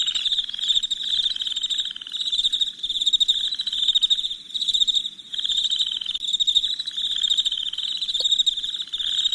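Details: Crickets chirping at night in a dense, steady high-pitched chorus, pulsing trills overlapping continuously with brief dips in loudness every second or two; a second lower buzzing layer comes and goes beneath the main band.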